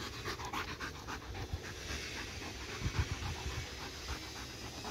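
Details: Pet dog that has been fixated on a laser pointer for a week, panting rapidly in short breathy bursts, about four per second, with low indoor rumble underneath.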